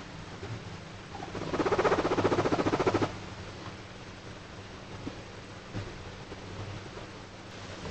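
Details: A guinea pig in its favourite bed gives a brief, rapid pulsed chatter, a soft burbling "hoyo hoyo" run of notes showing a happy mood.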